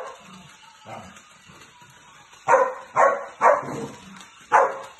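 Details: Samoyed dog playing alone indoors: after quiet low rustling, four loud short barks come in a loose burst over the last half, each sharp and mid-pitched, with a fifth starting at the very end.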